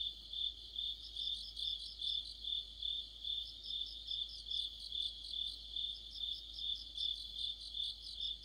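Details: An autumn insect orchestra led by crickets beside a streetlight, high-pitched chirping repeated roughly every half second in a steady, ringing rhythm, with fainter overlapping trills from other singers.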